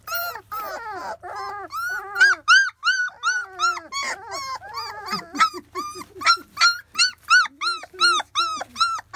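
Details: Field-type Labrador Retriever puppies, 25 days old, whine during their first taste of weaning food: a steady run of rising-then-falling whimpers, several pups overlapping, some lower grunting notes midway, nearly three cries per second.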